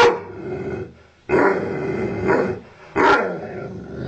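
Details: Growling ovcharka mix dog, angry at the owner: a long harsh snarling growl, then a sudden sharp bark that trails into a rasping growl.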